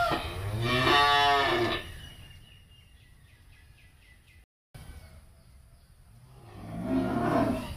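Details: Breeding cattle of BBB, Angus, Charolais and Brahman breeds at a cattle farm in Ba Tri: a loud harmonic moo near the start, a quiet gap with faint chirping, then a second moo swelling at the end.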